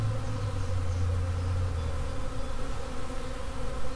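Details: A honey bee swarm buzzing in swarm mode: a steady, droning hum with stacked overtones and a heavy low rumble underneath, continuous and even throughout.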